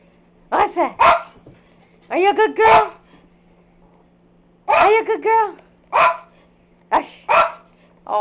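A dog gives short, sharp barks in quick bursts while a person talks encouragingly.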